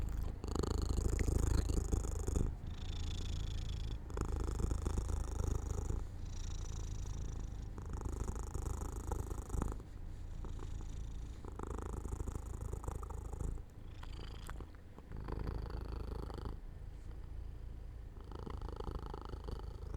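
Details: Indoor cat drifting to sleep near an open sunny window, purring in regular low rumbling cycles, each burst about two seconds long with faint pauses for breath between.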